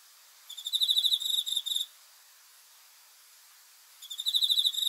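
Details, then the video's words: Night-time cricket song: a pulsed, high-pitched chirping burst lasting over a second, a pause of about two seconds, then another burst starting, over a soft steady hiss. "귀뚜라미 소리"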